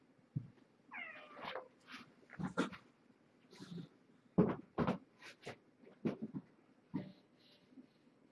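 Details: Domestic cat Marge, a rescued former stray, indoors at dinnertime with her five kittens born November 22nd, 2014; a rising harmonic meow near the start, then scattered short mews mixed with bumps, clatter and handling noises.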